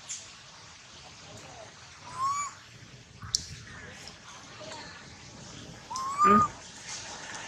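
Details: Baby monkey Lola crying in pain after sliding down from a high tree: two loud, tonal, rising squeals a few seconds apart, with faint background rustling between them.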